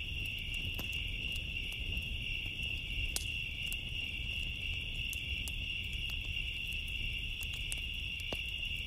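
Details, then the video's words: Summer night crickets trill continuously at a high, even pitch while a bonfire crackles nearby, with occasional louder snaps cutting through and a soft low-frequency hum of burning wood beneath. "Summer Nights Sounds, Cricket Noises With Fire Crackling"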